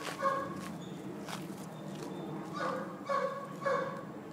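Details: Pack of Border Collies obsessed with playing with a ball. Short, high, tonal yips and whines come in brief bursts, a few spaced irregularly over four seconds, over a low background hum.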